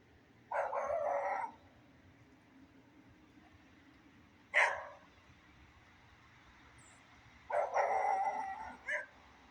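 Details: Beagle barking outdoors in rain: a long rough bark, a short sharp one, then a longer broken bark near the end, with a low constant hiss between calls.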